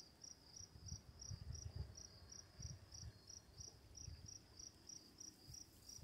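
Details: Night crickets chirping in an even, high-pitched series roughly every third of a second, beside running water, with a soft low rumble and hiss underneath.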